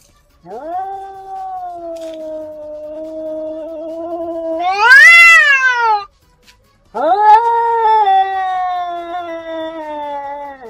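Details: Domestic cats in a vocal fight: long sustained yowls, a steady wavering wail breaking into a louder, higher screech, a brief pause, then another prolonged descending howl.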